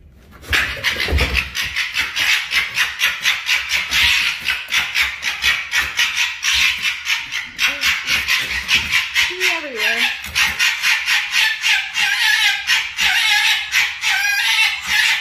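Two foxes fighting, trading harsh, rapid chattering screeches with a few whining cries.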